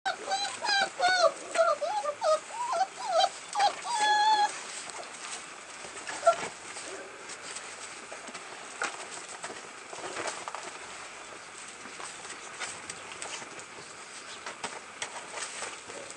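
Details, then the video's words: American Bulldog puppies on 18 February, giving a quick run of high, wavering whines and squeals over the first four seconds, followed by a long stretch of faint background hiss and scattered clicks. "american bulldog puppies"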